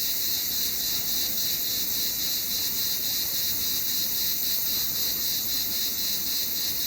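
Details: Cicada in summer, a continuous dense high-pitched buzz with a steady fast pulsing throbbing through it, holding at an even level throughout with no other clear sounds.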